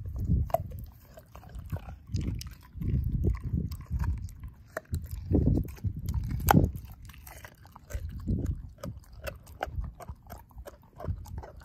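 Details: Ozzie, a dog eating a pork steak, crushes bone with his jaw: deep, rhythmic chomps come in clusters roughly every second, separated by brief pauses and sharper cracking snaps.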